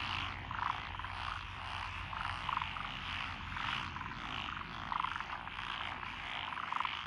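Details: Night chorus of paddy frogs in lotus rice fields, Echizen, Fukui Prefecture, Japan, June 2021: a nearby frog gives short clipped croaks every one to two seconds within a constant background chorus and low rumble.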